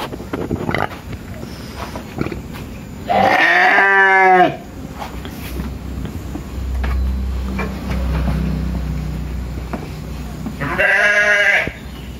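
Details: Tame sheep on an Indonesian village farm calling for food: two separate quavering bleats roughly seven seconds apart, with low rumbling background noise and quiet stretches between them.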